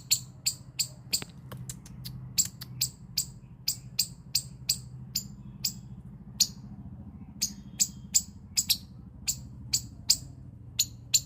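A squirrel gives sharp, high chipping calls in a steady rhythm, several each second.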